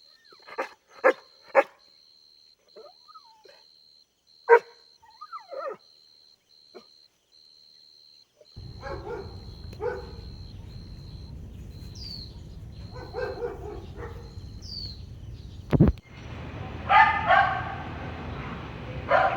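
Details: Playing Golden Retriever puppies outdoors on a grassy lawn let out scattered short yips and squeaks, which grow sparser as a low rumbling background noise rises. A thin high beep repeats in the background.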